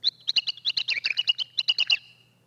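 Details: Male mouse ultrasonic courtship song pitched down into human hearing, sung in long sequences while chasing females to mate: about twenty quick, bird-like chirps and short sweeping whistles in two seconds, high-pitched and varied, over a faint low hum.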